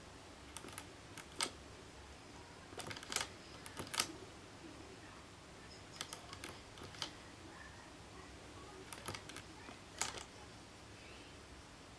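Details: Sharp broadband clicks in short bursts, like keyboard typing, over a faint hiss in a quiet indoor room; no animal voice stands out.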